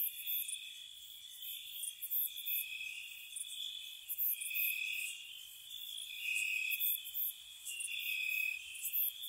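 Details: Crickets calling on a spring night by a cottage, loud rapid pulsing chirps about four per second over a sustained high trill, with a few longer clear notes standing out.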